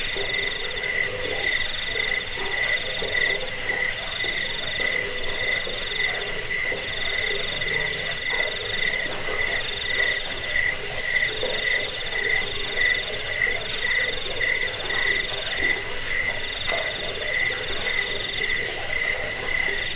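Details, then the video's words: Crickets chirping, played to drive away rats, lull listeners to sleep and train songbirds; steady high pulsed trilling in two bright bands, rapid repeated chirps running without pause, a faint lower murmur beneath. "Suara jangkik pengusir tikus pengantar tidur"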